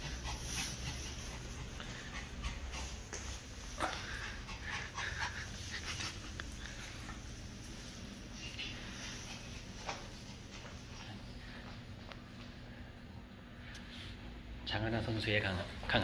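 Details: Eagle, pet dog of golfer Jang Ha-na, visiting a pet grooming salon indoors; rapid, breathy panting with faint whimpers, irregular, about 100 breaths a minute, over room hum with brief human speech near the end.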